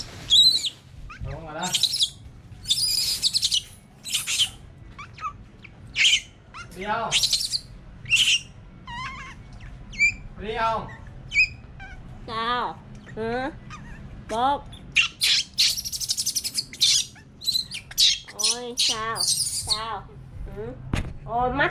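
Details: Baby monkey kept as a pet, crying because it wants to go out; a long run of high, wavering, sharply rising and falling squeals and chirps, repeated every second or so, with people talking quietly nearby.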